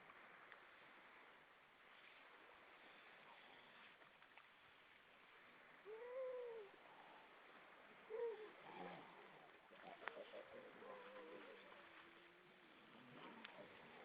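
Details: Grey seals on Vilsandi, Estonia, many above the water, evening of 25 September 2012: two short rising-then-falling wailing notes, mid-pitched and a couple of seconds apart, over steady wind and water noise.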